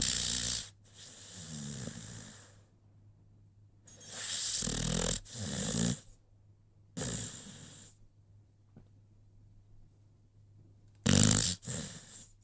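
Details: Rocky the American Pit Bull Terrier snoring in his sleep: a few drawn-out raspy breaths, each around a second long with a low vibrating rattle, spaced by long stretches of quiet.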